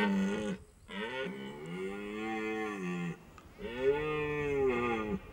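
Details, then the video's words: Red deer during the rut at the end of September in Hohe Tauern National Park, Austria, males calling to attract hinds: three drawn-out, moaning harmonic calls, each one to two seconds long, separated by short pauses in a quiet setting. "Red deer rut"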